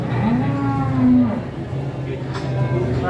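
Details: A big horned cow at a crowded market where buyers are bargaining. One strong, low moo swells upward and holds for about a second before fading. Chatter and crowd hubbub fill the rest.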